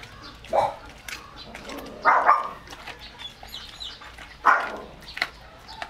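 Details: Male German Shepherd x Labrador mix, excited while eating raw chicken, gives three spaced, rough yelping barks a couple of seconds apart, with faint chirps and background hiss between them.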